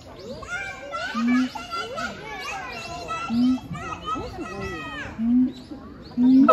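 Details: Siamangs, a pair at Chiba Zoological Park, Japan, on 12 November 2022, duet with swooping, rising and falling whoops punctuated by loud, low booming bursts.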